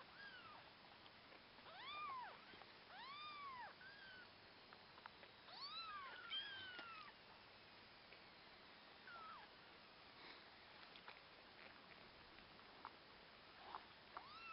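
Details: Orphaned kittens with a husky puppy nearby, mewing in a cluster of arched rising-falling cries over the first seven seconds, then fainter scattered squeaks and soft background noise.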